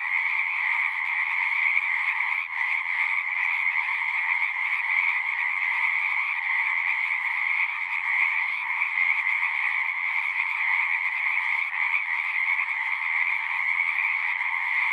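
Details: Pond frogs in a horse pasture, recorded on a Zoom device, keep up a constant massed chorus: layered rapid trills forming a shimmering drone, with slight pulses in loudness but no break.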